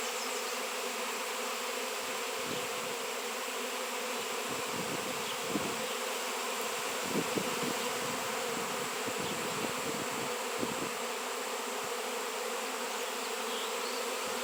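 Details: Continuous droning of a honey bee swarm drawn to a raw 7 lb piece of shungite, steady throughout with small fluctuations and occasional faint taps.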